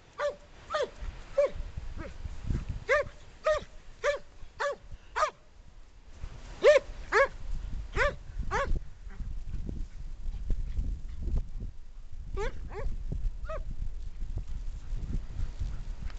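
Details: Jake, a 12-year-old German Pointer in Portland, UK, vocalises at a rock: bursts of short, ringing yelps about two per second, a pause of several seconds, then a few more yelps, with low rumbling and handling noise between them.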